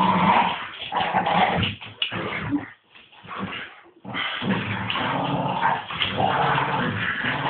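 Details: Playful Staffordshire bull terriers, two of them, rough-housing with their owner, giving harsh rumbling growls mixed with whiny whimpers; a quieter gap of about a second interrupts the noisy scuffle.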